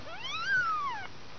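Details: One drawn-out meow from a two-week-old kitten, one of a litter of five kept indoors, starting low, climbing steadily to a peak, then sliding gently down before cutting off.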